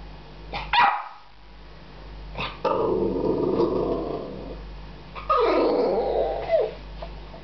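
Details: Amstaff Jasper, frustrated and eager to play while facing a cat for the first time, gives short barks followed by long, harsh, drawn-out growling barks and whines that rise and fall.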